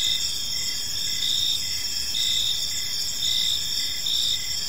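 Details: Short stretch of evening park ambience dominated by crickets: shrill layered trilling with a lower rhythmic chirp repeating in quick dashes, low background rumble faintly present.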